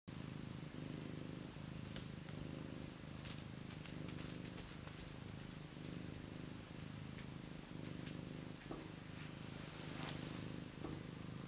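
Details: A cat warming itself by a heater purrs steadily, a low continuous rumbling purr with regular pulses throughout, a few faint clicks and rustles above.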